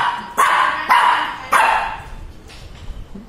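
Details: A little Shih Tzu in Chennai, frightened of a Batman toy bike, gives three sharp barks in quick succession in the first two seconds, then quieter yips fade out in an indoor room.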